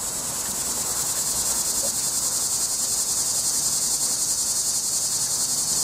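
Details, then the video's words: Cicada calling from a tree, going wild: an intense, harsh, high-pitched buzz held without a break and throbbing in fast regular pulses of roughly three or four per second, with faint low rumble underneath. "cicada was going crazy"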